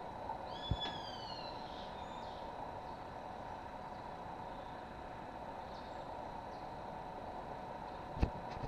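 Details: Fighting sloths in Costa Rica, La Kukula Lodge at Playa Chiquita, Puerto Viejo, February 2011. A short, high, bending whistle with harmonics in the first second, then steady droning background hum and two sharp knocks.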